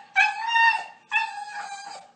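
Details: Talkative dog producing two sustained, steady howled notes, each under a second long, the second slightly softer and wavering at its end.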